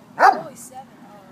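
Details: Monkey, a red Doberman puppy, play fighting at the High Park dog park in Toronto: one sharp, loud bark lasting a fraction of a second, then a soft trailing sound over quiet background.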